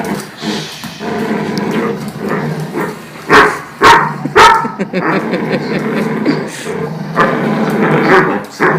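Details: Dog named Boomer, the noisy one, playing tug with another dog, Jude. Steady low rumbling growls run throughout, broken by a few louder, sharper bursts around the middle. Faint human voices in the background.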